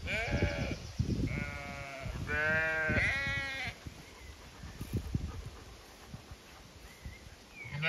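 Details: Zwartbles sheep flock in County Kilkenny, Ireland, on a regenerative farm, calling as they expect to be moved to fresh pasture; a burst of four overlapping wavering bleats in the first four seconds, then quieter shuffling and another bleat starting.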